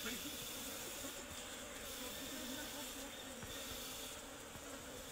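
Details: Asian honey bees from a colony nesting inside a tree while honey is being cut from it; a dense, steady hissing hum of many wings fills the recording without pause, with faint human voices underneath.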